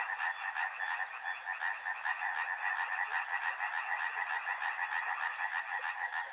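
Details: Frogs calling for relaxation beside a river: a dense, steady chorus of rapid pulsed croaks, many voices overlapping in continuous rhythmic trills with no pauses.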